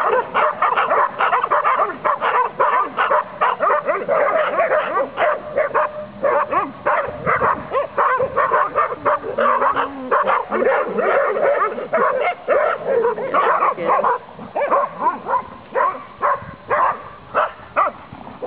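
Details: A Saluki romping and playing through a fence: rapid, dense volleys of sharp barks and yips, nearly continuous with only brief gaps, some higher whiny notes mixed in, loud and close throughout.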